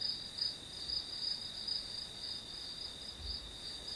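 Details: Grass insect calling softly: a thin, continuous high-pitched ringing with a few faint pulsed chirps early on, then a smoother steady tone, plus a couple of low soft bumps.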